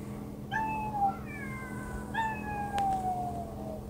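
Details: House cats giving two long, gently descending meows, the second more drawn out and trailing downward, with a brief overlapping cry between them and a steady background hum.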